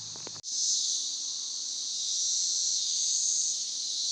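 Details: Periodical 17-year cicadas in Northern Kentucky, recently emerged from the ground; a dense, steady high whining drone fills the air after a brief low thump at the start, with faint low hum beneath.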